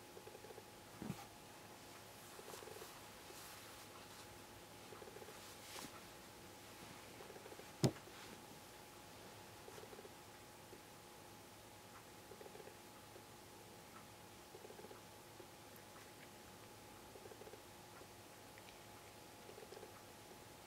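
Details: Affectionate, clingy pet cat pressing close indoors in autumn as the weather turns cool; soft purring swells in rhythmic bursts roughly every two and a half seconds over a steady electrical hum, with one sharp click near the middle.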